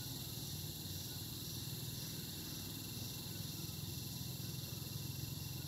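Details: Cicadas calling in the summer air of the Barog hills, a steady high, ringing drone held without a break through the whole stretch, over a low rumbling background.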